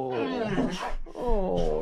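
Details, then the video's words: Rex, a male Boxer from near Landskrona in southern Sweden, moans indoors while asking for his squeaky toy placed up high. Two long, wavering, harmonic howl-like moans rise and fall, with a short break between them. "Smart Boxer Dog Rex Asks For His Toys"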